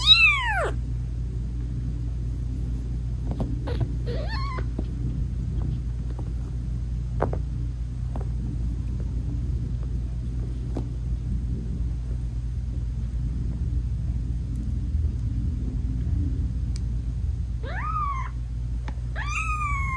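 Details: British Shorthair mother cat purring and meowing to her newborn kittens, whose eyes are still closed, while nursing them. A steady low purr runs throughout, with falling, harmonic meows at the start and again near the end.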